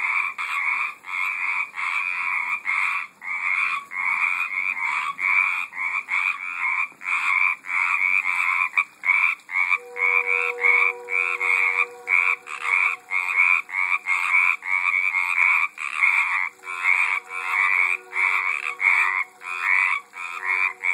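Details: Frogs calling in a garden pond, recorded in 2012: a dense, continuous chorus of rapid rattling croaks, pulsing several times a second, with a steady whistle-like tone joining midway.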